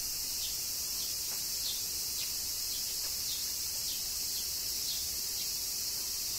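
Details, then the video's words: Cicadas in summer rain at Kyoto, Japan, their song an even, intense high shrilling; small rhythmic ticks, like falling drops, recur roughly every half second over the steady drone. "Cicadas Summer Rain - Zen Sounds of Kyoto, Japan"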